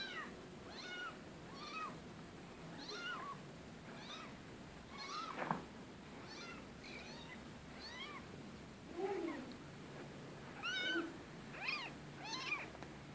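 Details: Rescue cats meowing busily, a rapid run of small, high-pitched, arching mews repeated about every second, some thin and squeaky, with an occasional lower call beneath and soft background hiss.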